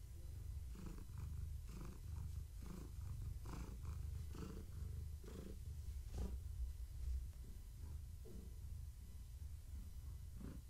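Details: Deep, continuous purring from Gaia, a pregnant long-haired tabby house cat enjoying pets and skritches; the rumble pulses with her breathing about every second, with soft rustling and clicking of handling on top.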